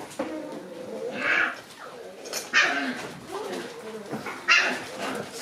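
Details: Shiba Inu puppies, active and playing indoors in their small room: three short, sharp high yips spaced about a second or two apart, with softer low murmuring sounds between them.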